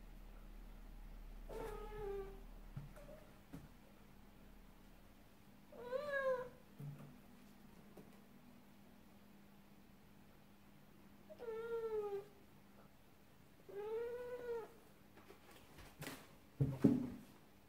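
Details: A cat's sad meows, heard indoors: four drawn-out, falling, plaintive meows spaced several seconds apart, with faint background hum and a few soft knocks.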